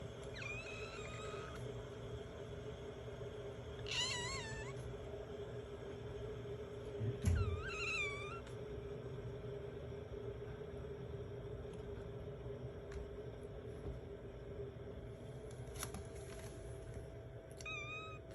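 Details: Affectionate British Shorthair kitten mewing indoors: several short, high, wavering meows spaced a few seconds apart, some in quick pairs, over a steady low background hum.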